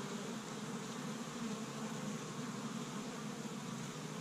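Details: Springtime honey bees working an established hive in Michigan on the first warm day, foraging pollen from tree buds; an unbroken, low, breathy hum of massed wingbeats, steady throughout.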